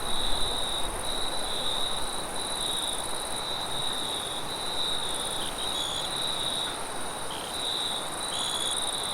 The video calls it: Crickets And Wind Sounds At Night Sound Effect